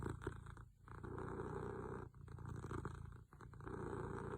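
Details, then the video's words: A cat snores in its sleep. Four stretches of coarse, low rumbling are split by short silent dips between breaths. "My cat's best snoring"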